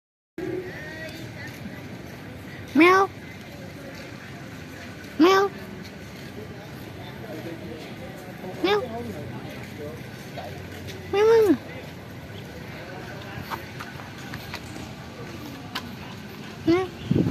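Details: Old hungry cat living at a pagoda, being given fish, gives short rising-falling meows about every two to three seconds, five clear calls over steady traffic hum and a nearby voice outdoors.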